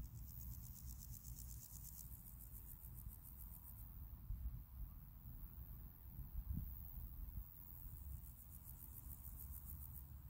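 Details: A male marsh meadow grasshopper (Pseudochorthippus curtipennis) on a mat of dead grass stridulates its advertisement song, a high, dry, rhythmically pulsed rasping over low wind rumble.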